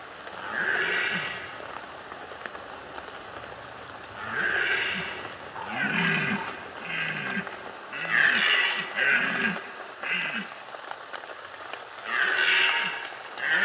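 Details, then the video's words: Red deer during the 2015 rut in the Bieszczady mountains, Poland: low, drawn-out groaning roars in wavering bursts lasting about a second, repeated with short gaps, over a steady patter resembling rain. "Rykowisko 2015 Bieszczady - Red Deer rut #1"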